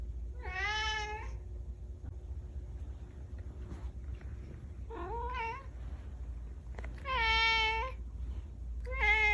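Kitten meows, high and harmonic-rich, rising then falling, repeated in short bursts.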